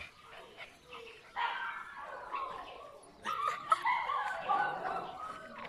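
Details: Litter of puppies making high whining yips and squeals, several overlapping in rapid bursts, with a woman speaking French in the background.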